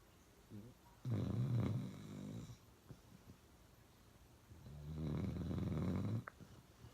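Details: Loud snoring from Uno the dog: two drawn-out rattling inhalations about three seconds apart, deep and buzzy, with faint breathing and a small click between them in a quiet indoor setting.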